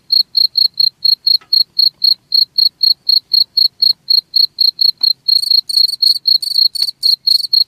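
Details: Steady cricket chirps meant to repel rats, pulsing about four times a second; after five seconds the chirps grow denser and buzzier, as if a second cricket joins, with a few faint clicks.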